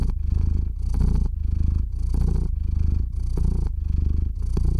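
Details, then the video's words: Cat purring steadily as it drifts off to sleep, close-miked: deep vibrating rumble with fine rapid pulsing, louder and softer phases alternating about once a second with breathing, no other sounds. "Кот мурлычет на микрофон и засыпает/The cat purrs on the microphone and falls asleep"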